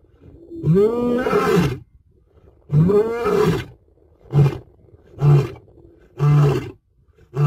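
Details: African lion in Africa gives two long, deep, swelling roars, then a run of shorter, lower grunting roars spaced about a second apart. The grunts fade toward the end with no other sounds present.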